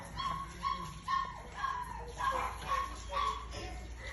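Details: Puppies for sale in India let out short, high yips in a steady series, about two every second, over a constant background hiss.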